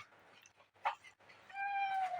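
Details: A cat gives one drawn-out meow, a steady tone held for nearly a second, after a few brief, softer sounds in an otherwise quiet room.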